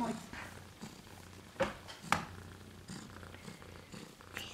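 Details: Two silver Siberian kitten girls, 2 and 3 weeks old, purring: a soft, even low drone running throughout, with occasional sharp taps and brushing noises nearby.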